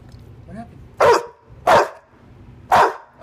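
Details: Rue the English Bulldog barks three times in quick succession, each bark short and harsh, while waiting at the door to go out and pee; faint voice and hum in the background.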